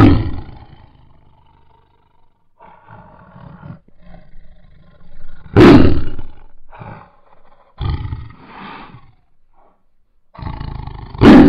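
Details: Bengal tiger roaring: deep, powerful roars open and close the sequence, with a loud blast midway, separated by lower rumbling growls and breathy moans, about one roar every five seconds.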